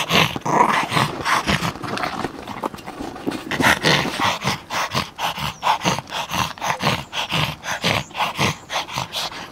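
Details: Small Yorkshire Terrier, overexcited while playing with a ball, gives a rapid, uneven run of short gruff growling bursts and snorting breaths, packed closely together across the whole stretch with hardly a pause.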